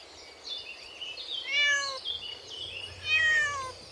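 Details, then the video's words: Kittens playing with their mother cat on green grass; two falling meows about one and a half seconds apart, over constant twittering of birds behind. "Adorable Kittens Playing with Their Mother on Green Grass | Cute Cat Video | Relaxing Cat Sounds"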